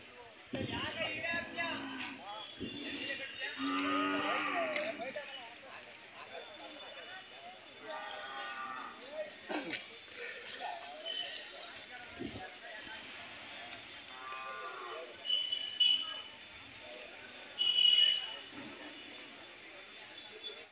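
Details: Hallikar cattle at the Chelur cattle fair in India: drawn-out, harmonic moos in the first five seconds, with further lowing bursts later, over a steady background of fairground crowd chatter and human voices.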